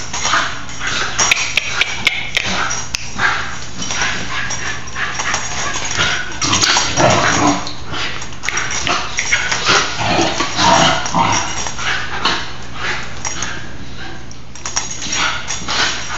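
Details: Two nine-month-old Basenji sisters playing wildly indoors on a rainy day yip, whine and grumble in quick, scrappy bursts, one more worked up, while a person softly tells them to be careful.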